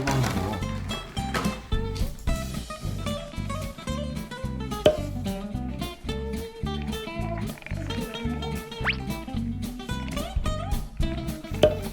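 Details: Upbeat instrumental music with plucked guitar and a steady drum beat plays throughout, with no animal sounds heard.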